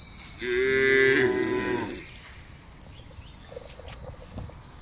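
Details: One loud wavering moo lasting about a second and a half from a herd of cattle moving across a wide pasture, followed by quiet rustling and distant faint calls.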